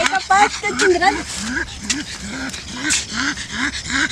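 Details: A pug named Laika, almost six months old, out in a park for the first time, gives a string of short arched whines, about two each second, over nearby human voices.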